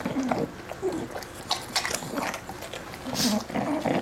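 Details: Male British Bulldog eating his favourite pork crackles: loud crunching and chewing bursts broken by short low grunting snorts, with a brief faint voice in the background.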